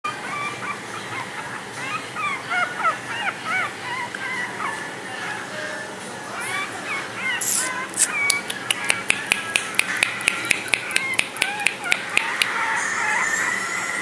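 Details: Cream-coloured female Chihuahua born 20 May 2013, friendly and affectionate, tail-wagging, often with a stuffy nose; high squeaky whines rise and fall in quick bursts over a steady hum, followed by a run of sharp ticking clicks.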